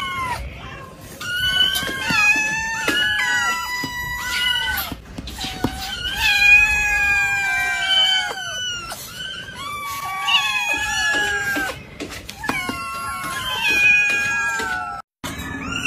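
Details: Cats in a cat cabinet meow almost without pause. Many overlapping voices give long, bright calls that dip or fall at the end. Clusters of cries follow one another for the whole stretch, and a brief silence comes near the close.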